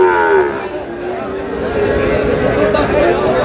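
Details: Sahiwal bull calves at a livestock market where a farmer from Dhaka is buying, on 19 May: a low, drawn-out harmonic moo that sags slightly in pitch. Bangla-speaking voices and busy market chatter run throughout.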